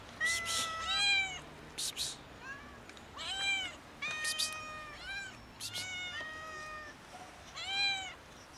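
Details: Loud, insistent meowing from a kitten and two cats asking for food, rapid arched harmonic calls tumbling over one another almost continuously, interspersed with brief crackling noises.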